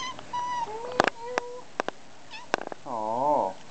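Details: Young female domestic cat, the youngest of the household's cats, being affectionate indoors: several drawn-out tonal meows, one rising and falling in a wavering arc at the end, with sharp clicks between and a person softly greeting her.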